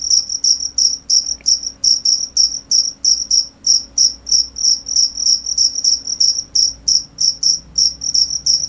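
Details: Cricket chirp, a shrill high trilling pulse repeated roughly three times per second for nearly nine seconds, rhythm fairly even with occasional doubled chirps; quiet steady hum in the background.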